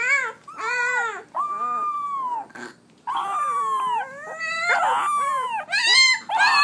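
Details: First barks of 17-day-old Pit Bull puppies: drawn-out, wavering whines and yelps, several overlapping callers, one long sliding cry after a short silence, ending in quicker squeaky yelps.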